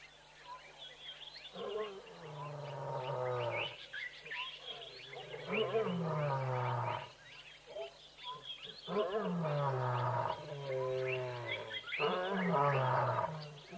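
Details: Lions at Tembe, looking a little bored, give a few roars: a series of deep, harmonic, downward-sliding groaning calls, each about two seconds long, repeated with short gaps, with faint bird chirps in the background.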